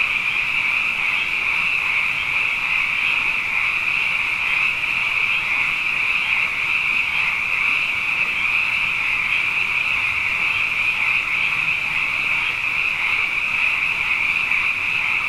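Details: After two wet years in a row, a mass of frogs calls night after night, producing a long, constant shrill chorus of overlapping trills with no pauses.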